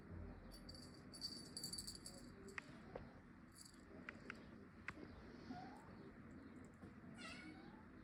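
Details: Cat, a pet, giving short, high, thin meows early on, then quieter sliding mews near the end, with clicks and a steady low background hum.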